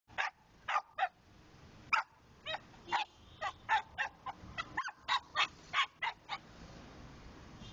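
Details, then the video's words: Pet dog barking in quick, uneven bursts of short, sharp yaps, about three or four per second at times with brief pauses between runs; no other clear sounds. "my dog funny barking"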